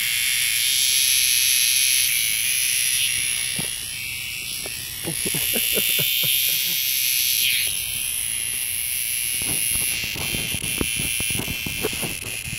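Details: A single cicada buzzes in a loud, steady, high-pitched drone that runs unbroken throughout, dipping slightly in strength a few times, with scattered faint low knocks and clicks beneath.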